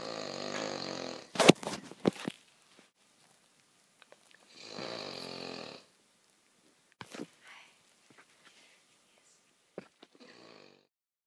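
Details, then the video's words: Loud indoor snoring from Paris the dog: drawn-out rough snore at the start, a brief cluster of clicks and snuffles, then a second snore near five seconds and a fainter one at the end, separated by near silence. "Loudest snoring dog EVER!"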